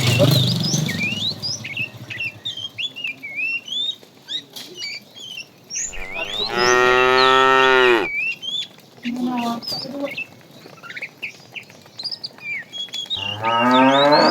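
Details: Tame cattle herd roaming a road looking for food: a loud, harmonic moo of about two seconds, then a shorter lower moo and another rising at the end, over constant chirping birds and brief human voices.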